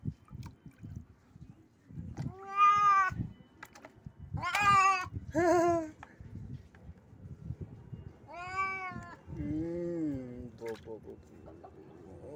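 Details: Cat, catching a bat, gives several loud harmonic meows around 3, 5, 8.5 and 10 seconds, some rising then falling, with faint clicks and rustling between them.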